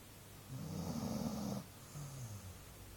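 A Golden Retriever snores in a low, rumbling rasp, one long inhaled snore followed by a softer one.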